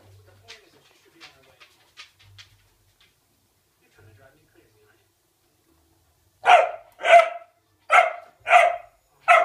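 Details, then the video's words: Ibizan Hound puppy at play, after quiet faint clicks and thuds, lets out five sharp barks in a fast regular run over the last three seconds. "Crazy Pupp ! Podenco Ibicenco"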